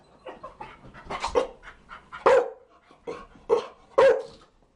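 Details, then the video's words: Chow Chow giving a short flurry of rough, overlapping barks and yaps, with two or three stronger barks standing out toward the end. "Chow Chow barking - DOG BARKING"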